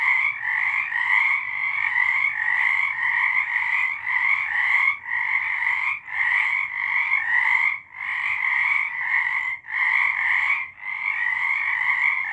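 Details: Frogs singing in the dark in March 2023, a thick chorus of rapid pulsed trills broken by several short gaps, giving a rough rhythm of bursts every one to two seconds.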